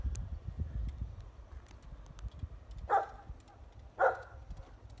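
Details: A Rottweiler pup playing in the snow gives two deep, gruff barks about a second apart at people passing by.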